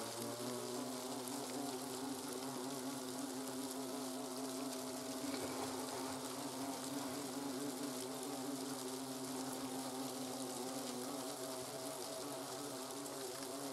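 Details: Hornet colony in autumn while workers remove larvae during the autumn brood destruction; a dense, continuous wavering drone of many wings with a broad hiss over it.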